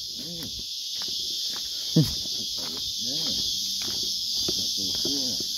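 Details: On a peaceful tree-lined bush walking track, a whole heap of cicadas (first mistaken for crickets) make a steady, high-pitched wall of drone without a break beneath men talking close by.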